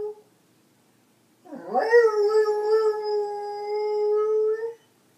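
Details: Skip the Beagle singing with a harmonica, one long sustained howl that swoops up from low then holds a flat, steady pitch for about three seconds before stopping, in a small indoor room.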